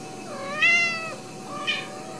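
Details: Ragdoll kittens raised in the home without cages at a cattery in central Kansas; two high mews, the first long, rising then gently falling, the second short and bright, over a quiet indoor background.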